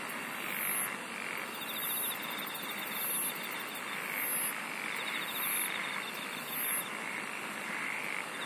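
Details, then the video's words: Shrill insect chirps repeat roughly every second over a thin, rapid pulsing trill, with a continuous wash of hissing background noise throughout. "SINGING OF INSECTS"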